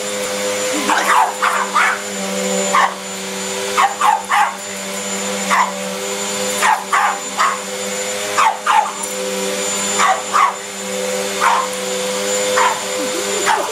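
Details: Pug barking at a running vacuum cleaner it is scared of while trying to act tough; short sharp barks come in irregular bursts over a loud steady vacuum hum.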